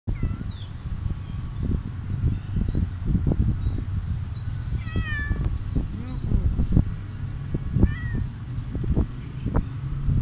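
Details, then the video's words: Stray cat meowing after eating food, outdoors: a few short harmonic meows, one wavering and rising-falling near the middle, over steady low engine-like hum and scattered clicks and thumps. "Stray cat meowing crazy after eating food"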